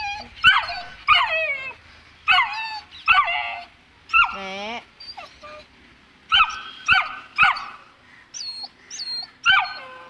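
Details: Two-month-old Saint Bernard puppy, afraid to go down stairs, gives high, wavering whimpers and yelps in short bursts about every second, with a brief pause midway and a few thin squeaks near the end.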